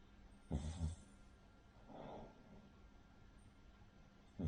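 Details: Rin, a sleeping Cavalier King Charles Spaniel of a flat-nosed breed, snores in rough, low, rattling snorts like a pug or bulldog. A strong burst near the start, a softer breathy one in the middle and another at the end.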